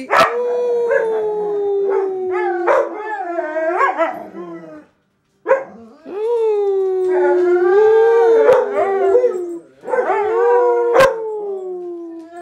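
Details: A group of huskies in a house full of dogs singing together: long, sustained howls that rise and fall in pitch, overlapping voices, with two brief pauses and sharp clicking bursts between phrases.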